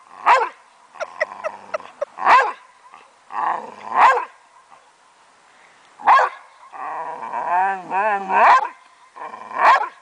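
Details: Playtime in a backyard for Travis, a 9-year-old Boxer, and his 12-year-old foster sister Suga' Bear. Sharp barks repeat roughly every two seconds, and a rising, wavering growl-whine runs between them in the later part.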